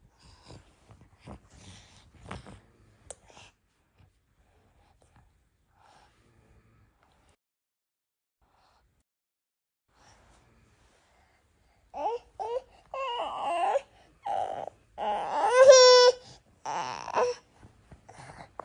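A Norwegian Forest Cat gives a run of short, tonal meows after a long quiet spell.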